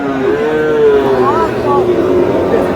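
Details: Sahiwal bull calf for sale at Aftabganj cattle market in Dinajpur, Bangladesh, on 30 June as trading begins. A long tonal moo wavers and bends in pitch for about two seconds over steady market murmur and faint voices.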